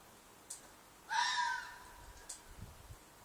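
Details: Red fox screaming at night in a field behind an apartment, a loud mating call or cry: one harsh, hoarse shriek lasting about half a second, slightly falling, over a quiet background with faint clicks.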